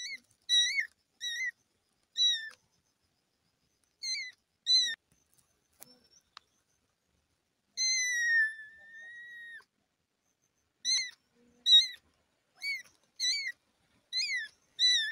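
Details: Kitten mewing in a run of short, high, thin calls, each with a slight rise and fall, given in quick clusters with brief pauses, plus one longer drawn-out mew that slowly falls in pitch; otherwise quiet.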